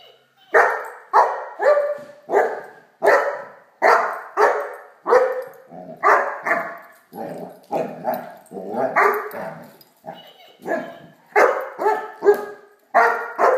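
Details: Playful Great Dane puppy, Blacky, barking at a toy dog in a long run of about twenty sharp barks, roughly two per second, some doubled, with brief pauses between bursts.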